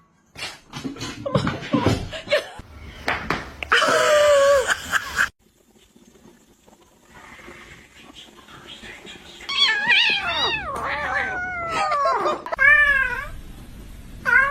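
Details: Cat meowing in a series of harmonic, bending calls that rise then fall, several in quick succession, after a stretch of human talk and laughter indoors.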